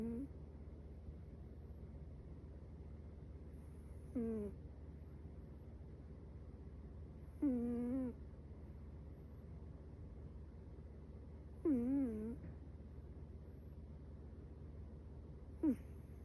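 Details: Chihuahua puppy snoring while asleep: four short nasal, squeaky whistling snores that bend up and down, spaced about four seconds apart over a steady low indoor hum.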